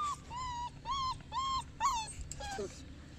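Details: Boerboel dog whimpering in a series of drawn-out, nasal whines with rich overtones, about five in three seconds, the last ones wavering and dropping in pitch, over low steady background noise.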